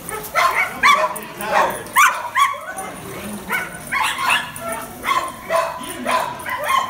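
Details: Cairn terrier barking while lure chasing: rapid, sharp, yappy barks, about two each second in uneven bursts, mixed with people talking nearby.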